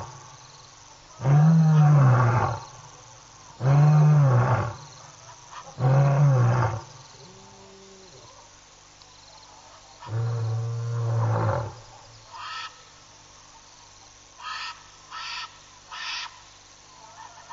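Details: A lion roars at night around 11:35 PM SAST on 2 October 2010: deep, throaty moans repeated every two to three seconds, then a softer final one, about a minute after a chat-room member roared, seemingly in response.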